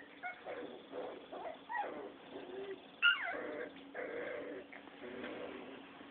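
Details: Six-week-old Rottweiler puppies play-fighting indoors: bursts of rough growling and whiny grumbles rise and fall over several seconds, with one sharp high yelp near the middle, over a steady low hum.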